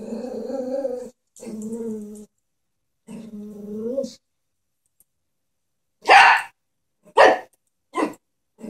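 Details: A scared pet Chihuahua confronts a stuffed horse toy with three steady, rumbling growls separated by pauses. Four loud, abrupt barks follow, each about a second apart and fading in strength.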